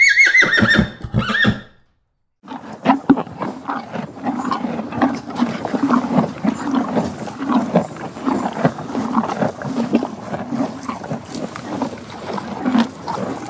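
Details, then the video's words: Horse giving a short, high, harmonic whinny in the first two seconds, then a pause followed by continuous pulsing low rustling and shuffling noise. "Sound of herbivorous animals : horses"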